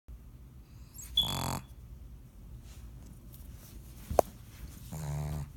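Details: Pet pug sleeping indoors, snoring: two separate harsh, rattling snores about four seconds apart, each lasting roughly half a second, with a brief sharp click between them in an otherwise quiet room.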